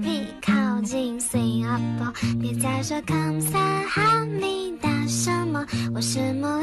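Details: Upbeat children's song with singing voices and plucked guitar plays throughout, with no animal voice.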